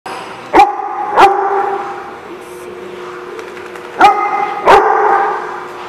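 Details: Dog barking at The Barking Lot on 18 December 2015: two pairs of sharp, loud barks, one pair near the start and another about three seconds later, with faint background murmur between.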